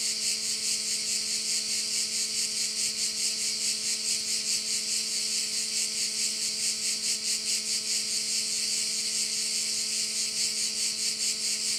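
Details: Crickets heard from a bay in Korčula: loud, high, hissing buzz with even rhythmic pulses repeating about every half second for the whole stretch, with a faint continuous low tone beneath.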